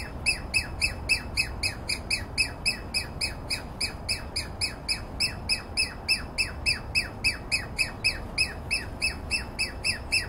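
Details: A Douglas squirrel, apparently alarmed though not by the nearby observer, gives a fast, steady series of harsh, squeaky calls, about three or four each second, in a yard among dense conifers.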